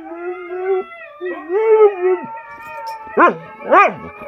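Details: Siberian Husky howling: a steady mid-pitched tone that breaks off, then a wavering howl rising and falling, followed by two sharp, pitch-swooping yelps close together.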